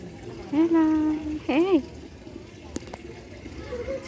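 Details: Cat calling in a compilation of pet cat clips: a drawn-out, steady, flat-pitched meow is followed by a short meow that rises and falls, then faint background noise and a brief click.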